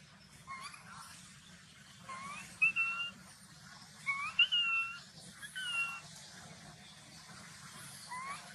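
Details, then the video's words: Angry baby macaque denied milk by its mother: a few shrill, whistle-like wavering cries in short bursts, separated by quieter pauses, with a constant low hum underneath. "The mother monkey refused to give the baby monkey milk, the baby monkey got angry and shouted loudly"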